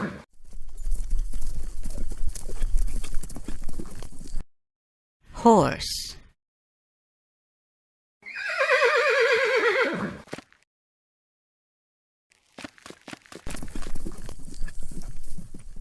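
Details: Domestic farm horse giving one descending, wavering whinny of about two seconds, preceded by a quick rising squeal; hoof clip-clop and rumbling noise fill the start and end.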